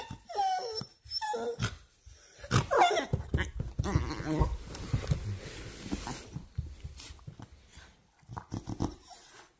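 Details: Female Beagle welcoming her human after a short nap; a few high squeaky whimpers open, then low grumbling growl-like vocalising and rustling, with quieter breaths toward the end.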